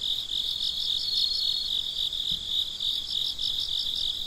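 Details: Midnight chorus of crickets, a constant shrill high-pitched trill beneath quick, evenly pulsed chirps from another cricket that come and go in short series; a quiet background otherwise.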